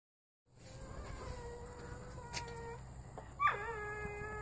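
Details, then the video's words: Female dog groaning and moaning loudly in her sleep: thin, drawn-out tonal whines that waver and slide, one ending in a sharp rising-then-falling whimper, over a quiet room hiss. "My Dog Groans Loud in Her Sleep"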